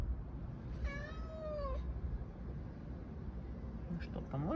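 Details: Siberian cat trying to escape from a tire gives a clear, drawn-out meow that slides downward, followed later by a person speaking Russian.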